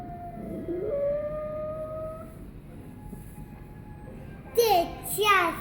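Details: Sadie the dog howls in drawn-out, steady tones that swoop upward early and hold level for over a second, then fade; a burst of sharper, broadband noise follows near the end.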